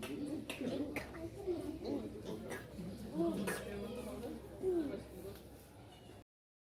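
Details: Mother pig with her piglets, a noisy family: overlapping low, soft grunts rise and fall almost continuously, with several sharp knocks scattered throughout, ending in silence after about six seconds.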